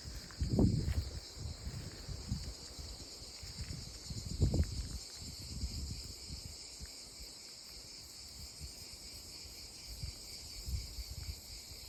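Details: Chorus of cicadas in olive trees, an unbroken shrill, even hum held high throughout, overlaid by scattered low rumbles and rustling thumps.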